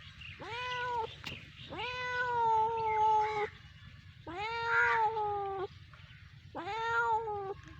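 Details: Drawn-out hungry meows from a cat with kitten, four long harmonic cries each lasting one to two seconds, rising at onset and holding steady, separated by brief pauses, with a low hum underneath.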